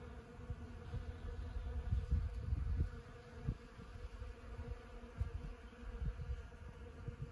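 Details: Many honeybees foraging on Ceanothus cuneatus var. fascicularis (sand buck brush) flowers in the Los Osos elfin forest on a fine morning; a dense, steady low drone of wingbeats rising and falling in intensity, with a deep rumble underneath.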